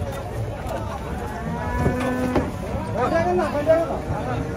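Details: Raging bulls being unloaded from a truck give a steady, level moo of about half a second amid shouting handlers, with music starting afterwards.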